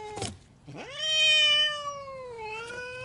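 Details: Angry cat giving a single sustained yowl that sweeps sharply upward, holds a harsh, rich wail, then sags lower and lifts slightly at the end, after a brief noisy spit at the start.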